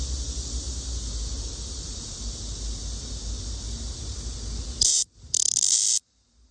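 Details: Black cicada (Cryptotympana atrata), observed for sex differences: a continuous high, hissing buzz runs for about five seconds, then breaks into two short, harsh, loud bursts before falling silent.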